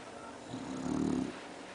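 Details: Bru, a bulldog, snoring indoors: a single rough, vibrating snore lasting under a second, low and raspy with a fluttering pulse, rising out of a steady background room hum and fading back to quiet.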